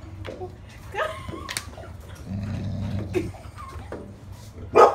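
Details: Golden Retriever puppy Gunnar tries to bring a stick into the house where sticks aren't allowed. Brief rising whiny tones near the start, then a low buzzy growling rumble for about a second, ending in a sharp loud burst.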